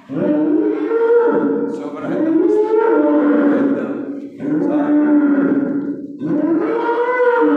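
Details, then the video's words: Bawling calf the day before Eid al-Adha, giving four loud, drawn-out moos in quick succession, each wavering in pitch with rich harmonics, repeated roughly every two seconds. "العجل يبكي قبل العيد بيوم"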